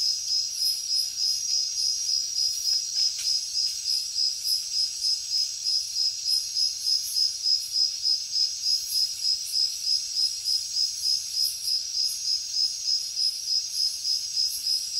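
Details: Night chorus of crickets in the jungle: shrill, regular chirps pulsing roughly three times each second, with a brief whistle-like tone near the start and a faint insect hiss.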